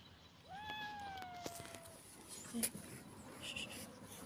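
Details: A hungry little kitten, dumped and scavenging through garbage at a rubbish dump on a rainy day, gives a long wailing meow that rises sharply then slowly slides down over about a second and a half, followed by clicks and rustling.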